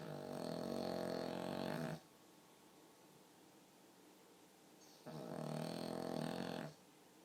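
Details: Pug dog snoring much like a person would: two long, throaty, vibrating snores, the first about two seconds and the second slightly shorter, with a three-second quiet gap between them.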